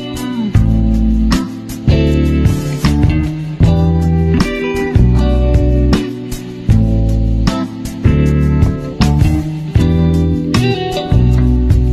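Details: Steady plucked guitar music with a driving bass rhythm plays throughout, with no animal sounds.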